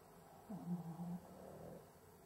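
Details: A Cavalier King Charles Spaniel labouring to breathe while asleep gives a single low, buzzing, snore-like inhalation lasting under a second, then a softer trailing breath.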